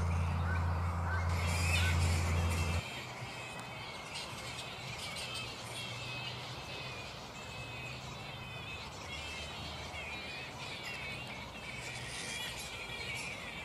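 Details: Mid-morning roost of black flying foxes still restless: a loud low hum fades after about three seconds, leaving continuous shrill chattering and squawking from a crowd of bats.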